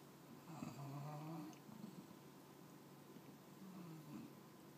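An English Bulldog puppy snores in low, rumbling, wheezy breaths.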